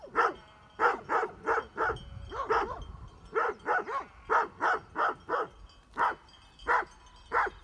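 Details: Great Pyrenees sheep dogs near Heber, Utah, barking at mountain bikers: a steady run of about twenty rough, full-voiced barks, mostly singles and pairs at roughly one-second spacing, with a brief low rumble of handling noise.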